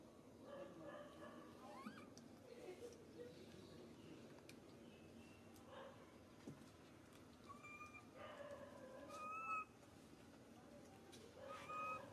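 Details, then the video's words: Baby monkey Suca crying out loudly, pitiful and hurt, as Susan grabs him; thin tonal wails with a bright overtone come in short bursts, clustering near the end, over a steady murmur of background noise. "Poor baby monkey SUCA crying out loudly - when SUSAN grab warns he so hurt pitiful"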